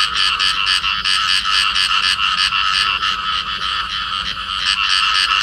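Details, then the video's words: Clasped pair of field frogs calling: quick train of coarse, buzzy croaks, close to four per second, sustained and even in loudness across the short stretch. "cặp nhái đồng ôm nhau kêu"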